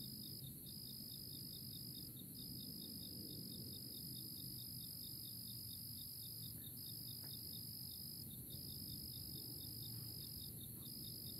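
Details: Crickets chorusing in early April, giving a constant high-pitched trill that breaks off briefly at intervals, over quick evenly spaced high pulses and a faint low hum of ambient noise.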